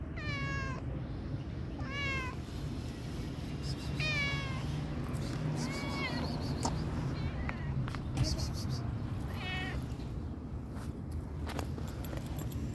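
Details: Pregnant tabby cat, a stray, meowing repeatedly, about every two seconds, each meow a clear harmonic cry that rises then falls, over constant low traffic-like rumble with scattered clicks and hissing bursts.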